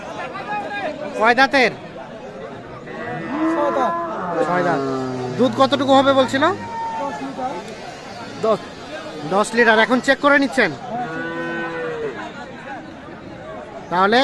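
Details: Cows with calves at Aftabganj cattle market, Nawabganj, Dinajpur, 14 January 2025; a long low harmonic moo stretches for over a second mid-clip among loud bursts of market chatter and people talking.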